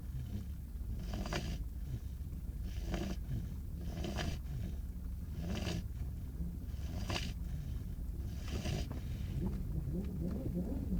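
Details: Five-month-old male beagle puppy asleep in an awkward position in the back of a car, waiting to board a ferry to Ireland: soft, breathy snores recurring about every one and a half seconds over a steady low vehicle rumble.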